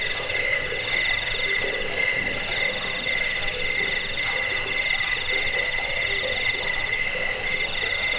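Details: Many crickets trilling together, played to repel rats, help with sleep and train cage birds; high, ringing stacked tones pulse quickly and continuously, forming a constant shimmering wall of insect sound.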